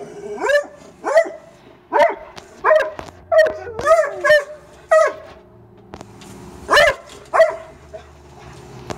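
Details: Backyard dog barking at night at a raccoon it found, which jumped off the deck and safely fled; steady series of single loud barks, roughly one every half second to second, with short gaps.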